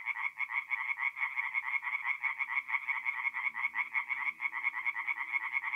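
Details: Night chorus of tree frogs at a forest pond, north-east Italy, mid-April; fast throbbing croaks repeated about three times a second, several frogs overlapping in a steady nasal rattle, faint low hum beneath.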